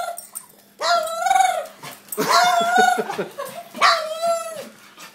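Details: Dog making strange noises at feeding time: drawn-out, wavering whines and yowls, some with a rough pulsing middle, in three long bursts of about a second each, loud and close.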